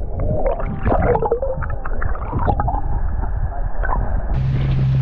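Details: Underwater killer whale calls off Norway's northwest coast in November, where orcas follow the herring: short wavering tones and bending squeals among crackling clicks, over a steady engine hum.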